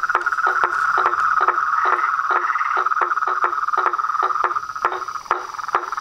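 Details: Frogs, toads and tree frogs calling at dusk from a pond in front of a house veranda: a dense chorus with a steady mid-pitched trill and sharp clicking notes repeated about two or three times a second.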